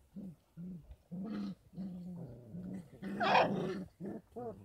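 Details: 33-day-old Kangal puppies on a farm, given goat milk and infant formula as supplements. Steady low growly whining continues almost without pause, with one rougher, noisier outburst midway.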